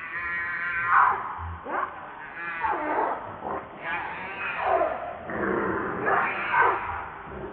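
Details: Baby monkey Lucie, hungry and crying while begging its mother for milk: loud, wavering harmonic wails rising and falling, repeated in bursts about every second, with short gaps between cries and faint background rustling.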